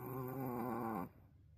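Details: Sleeping wolf-sable Pomeranian snoring at its loudest ever indoors: one drawn-out, buzzy, harmonic snore lasting about a second, then near silence.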